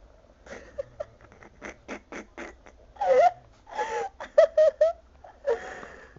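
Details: Pet dogs indoors, a Chihuahua bothering a sleeping Pug that does not like it; short wheezy snorts and puffs give way to louder whiny, wavering grumbles in bursts, ending in a brief rising whine.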